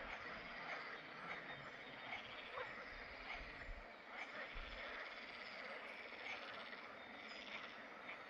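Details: Chorus of water frogs in a pond in the Drava valley, Slovenia, recorded 11 May 2024, overlapping croaks and rattles forming a thick constant din, with some low rumbling underneath.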